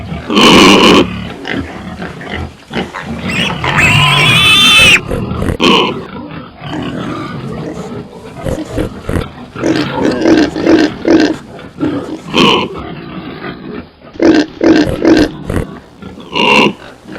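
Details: Pigs grunting and squealing in irregular bursts, some harsh and broadband, others low and rounded, with a loud shrill squeal around four seconds and shorter squeals near the end.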